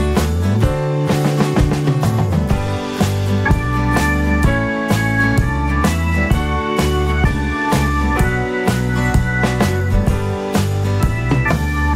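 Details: Loud rock-style music with drums and guitar plays for the whole stretch, with steady beats and chords and no animal voices.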